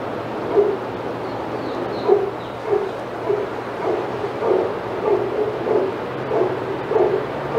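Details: Outside Yard of Old Friends Senior Dog Sanctuary, where senior dogs go crazy as Titus passes: quick, rough barks repeating more than once a second, a few high thin notes early on, and a constant low hum.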